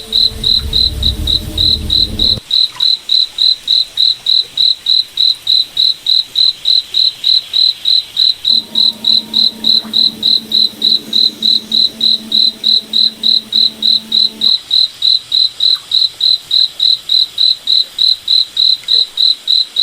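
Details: Cricket at night in a moonlit forest, giving a steady high chirp about three and a half times a second, very even, nearly seventy pulses in all; a low droning hum comes and goes beneath, with a brief rumble at the start.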